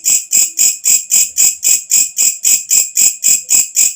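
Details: Shrill nocturnal calling of a walang kecek katydid, used as tutor material for birds: about fifteen sharp buzzing pulses in four seconds, each swelling quickly and cut short, strongly regular and high.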